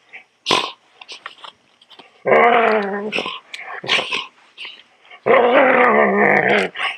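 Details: Poodle growling while being groomed: two long, rough, rattling growls about a second each, separated by brief snaps, yips and clicks.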